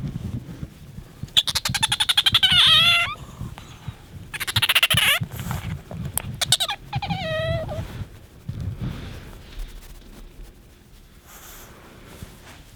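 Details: Pet otter Bingo squeaks in three short bursts of rapid, buzzy squealing while asking for attention, separated by pauses filled with rustling and handling noise, then quiet near the end.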